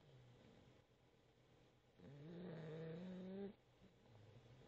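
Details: A Boxer puppy asleep and snoring. One clear, humming snore lasts about a second and a half, rising a little in pitch, between softer low breaths.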